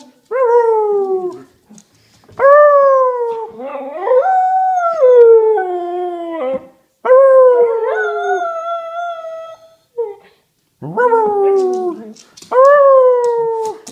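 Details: Female whippet howling at home: six drawn-out, harmonic howls, each sliding gently downward and cut off abruptly mid-howl, with short silent gaps between them and nothing else heard.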